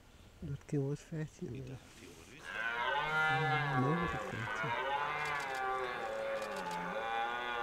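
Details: Red deer in rut at Hoge Veluwe park, Netherlands, 2023, where deer gather at apple-feeding spots; several short, rapid grunts lead into a sustained, wavering roar lasting about five seconds.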